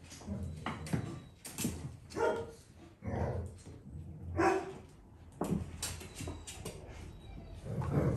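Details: Dalmatian puppies, nearly six weeks old, being clicker trained while their mother Arya spends time with them: scattered soft barks and yips at irregular intervals over a steady background hum.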